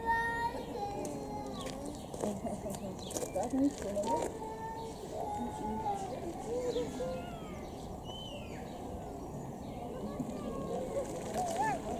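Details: A family of lar (white-handed) gibbons, forest dwellers of the tree canopy, call together in mellow, tonal, overlapping hoots that slide up and down into a loose chorus, with fainter higher sweeping notes and background chatter.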